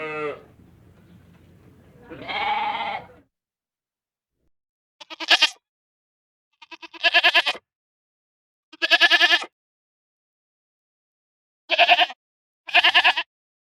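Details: Baby goats bleating: a lower, drawn-out bleat near the start, then a series of short, high, quavering bleats in separate bursts about every one to two seconds, with silence between them.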